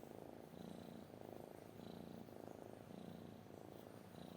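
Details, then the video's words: A cat purrs loudly and close by. The low rumble rises and falls in rhythm with its breathing, roughly every second, over a faint high hiss. "kucing mendengkur"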